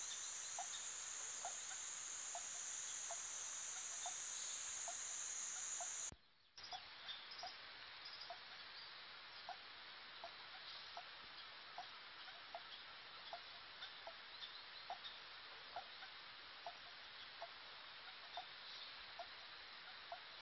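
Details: Swamp frogs in wet pastures of Turrialba, where spring water rises from the ground, give a chorus of brief, hollow knocks about three a second, several callers overlapping, over a high insect buzz.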